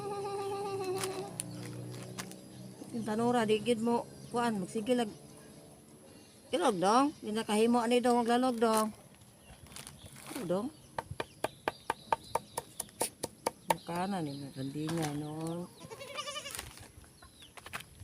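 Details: Goat at feeding time, having food made for it, giving loud quavering, wavering bleats in several bouts: a pair early on, a long strong run midway, and more near the end, with a stretch of sharp rhythmic tapping between and some voices.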